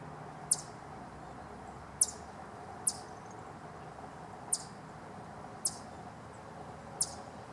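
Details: Wild Eastern chipmunk giving clucking or chucking warning calls, recorded June 11, 2023; six sharp, very high, downward-sweeping chips spaced roughly one to one and a half seconds apart over a steady low background rumble.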